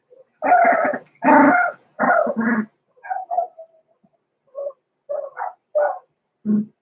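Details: Six-week-old blenheim Cavalier King Charles Spaniel puppies Roman and Blue, born November 14, 2022, in an indoor puppy pen: four loud, rough barks in quick succession, then softer high yips and whimpers spaced about every half second.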